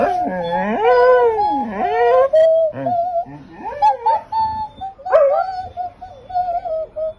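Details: A dog named Pitsai howls along with its owner: swooping, wavering notes that dip and rise, then steadier sustained tones with small yips in between.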